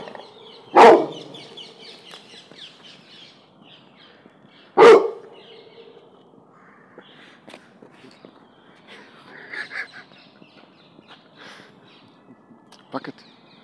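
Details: Cane Corso mix (Canis lupus familiaris), bark: fearful barking at a balloon.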